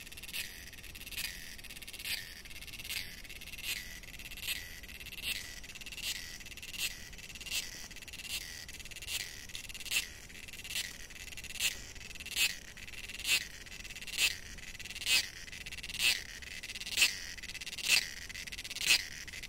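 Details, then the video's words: Cicadas in the forests of Goa, India, sing in a shrill, high buzz pulsing in bursts roughly once a second. "Singing Cicadas (Alert- High pitch Call. Low volume recommended )"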